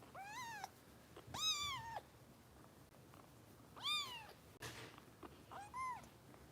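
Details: Harper, a roughly four-week-old foster kitten just under a pound, during bottle feeding with Kitten Rescue in Los Angeles, gives four or five high, arching, rising-then-falling meows spaced about a second apart, with faint room noise.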